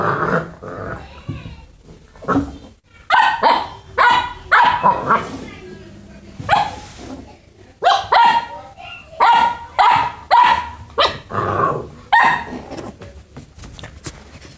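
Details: Boxer puppy playing with a rabbit, giving a rapid series of sharp, high puppy barks and yips, roughly two per second, with short growly bursts between them; a person's voice is heard at times.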